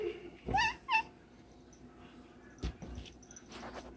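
A Siamese cat gives two quick, loud meows that rise and then drop, followed by a sharp click.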